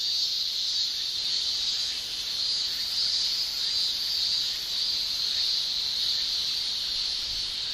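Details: A continuous metallic whine of male cicadas calling in Japanese summer, sung with the tymbal organs, forming a dense high buzz with faint rasping pulses and softly wavering volume.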